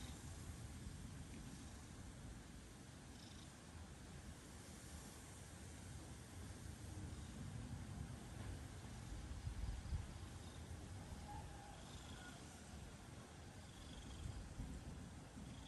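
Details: Domestic cat purring; a continuous low rumbling throb with fast regular pulses, steady for the whole stretch, faint and close, with some quiet background hiss.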